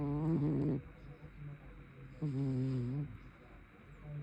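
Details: Brown tabby cat snoring loudly in its sleep, two throaty, buzzy voiced snores about one and a half seconds apart, the second wavering slightly in pitch.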